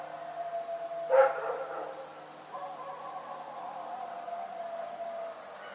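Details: The dog Rex at night gives one abrupt bark followed by a long, drawn-out, low-toned whine lasting several seconds. A faint rhythmic high pulsing sits in the background.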